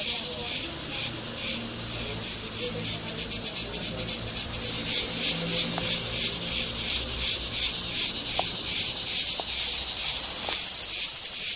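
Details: Male cicada singing from the trees in summer, calling the female for mating; the song is produced by movements of the abdomen. A high, buzzy, hissing drone pulses about four times a second, then grows louder and denser near the end. A faint voice sits underneath.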